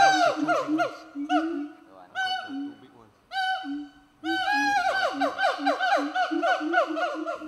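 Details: Siamangs (Symphalangus syndactylus), the largest gibbon, call from hill forest at Fraser's Hill, Malaysia, with loud, rich ringing whoops sliding downward in quick runs, amplified by an inflating throat sac and audible up to 3 km; they live in small territorial family groups.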